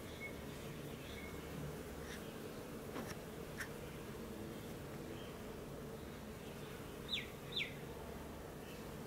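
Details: Bees feeding on a flowering native Leptospermum 'Aphrodite' tree in a garden give a soft, steady, low buzzing hum throughout. A few short bird chirps sound near seven seconds, with faint clicks earlier.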